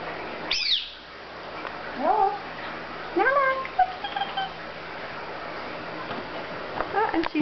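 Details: A 7-week-old female serval kitten gives short, bird-like chirps that sweep up and then down, repeated in small bursts.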